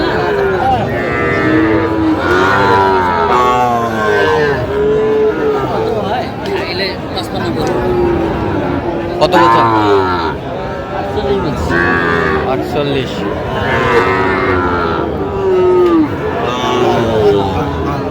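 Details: Lowing from Sahiwal bull calves at Aftabganj haat, a cattle market where Dhaka farmers shop, 16 August 2025. Drawn-out moos with rich harmonics repeat among loud chatter, shouted prices and crowd noise.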